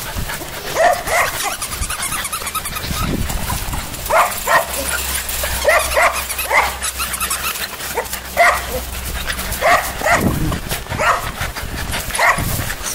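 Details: Puppies giving short, sharp yips and small barks in irregular bursts roughly every second, with a low steady hum underneath and brief human voices.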